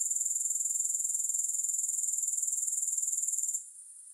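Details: Grasshoppers in a long sleep and relaxation recording with no music: a shrill, very high, steady trill pulsing rapidly and evenly, then dropping suddenly to a faint hiss in the final half second.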